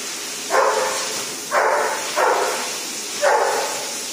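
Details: Scared at first at a dog shower called Nose to Tail, the female dog Kenko lets out four short, rough barks, unevenly spaced about a second apart, against a steady background hiss.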